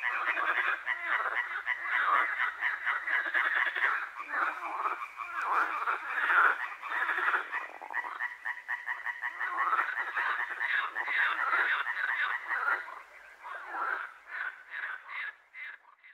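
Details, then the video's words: Night-time frog chorus at Hłomcza in Sanok commune, Poland, heard from moonrise to moonset alongside other small creatures: many overlapping rattling croaks in quick pulses, thick and steady, thinning slightly toward the end. "Rechot żab"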